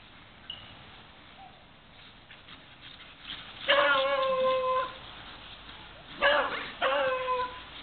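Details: Beagle giving long, drawn-out baying barks with rich harmonics: after quiet moments with a faint yelp, one sustained bay of about a second, then two shorter bays in quick succession near the end.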